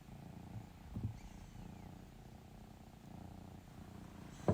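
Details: A female domestic cat purrs steadily while asking for love and cuddles, a low continuous rumble pulsing in a soft, even rhythm.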